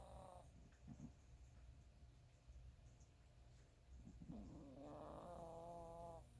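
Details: Asleep, a Chihuahua lets out a short snore, then soft snuffling breaths, then a longer rising, whistly snore of about two seconds over faint low household hum.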